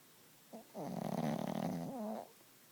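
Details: A Chihuahua named Gidget snores loudly in her sleep. One long, rattling, buzzy breath runs over a second, then a shorter wavering snore follows, each with a layered nasal tone.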